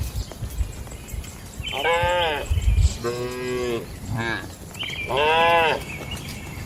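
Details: Cattle in a traditional shed at night, lowing in three long harmonic moos of about a second each, one lower and flatter, with a short grunt between; faint higher calls and low rumbling noise behind.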